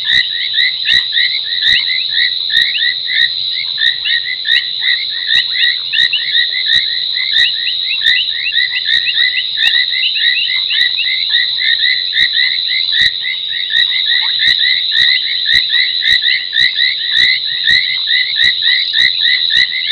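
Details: Foam nest tree frogs calling near midnight at a Sabi Sand Wildtuin waterhole, South Africa, 30 January 2021: a steady, unbroken wall of high chirps, overlaid by crisp clicks repeating about once per second.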